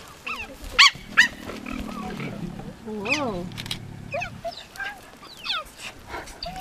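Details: Cheetahs being fed at Cheetah Park, Namibia: high, bird-like chirps with bending pitch, about a dozen spread through the stretch, two sharp loud ones early, plus a low rumbling hum in the middle and a person speaking.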